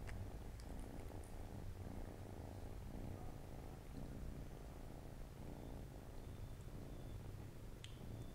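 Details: Purring among Siamese kittens resting by their mom on a Saturday afternoon; an even, continuous low drone runs unbroken throughout, with light background hiss and a couple of small taps.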